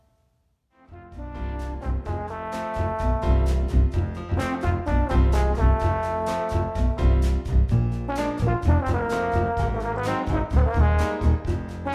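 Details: After a moment of silence, a brass fanfare of trombones, trumpets and horns plays rhythmic, punchy notes; no animal sounds are heard.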